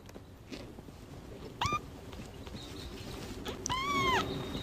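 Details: Newborn kitten mewling with playful clawing: two high, thin cries with rich harmonics, a brief one near the middle and a longer, slightly falling one at the end, over a soft background hiss.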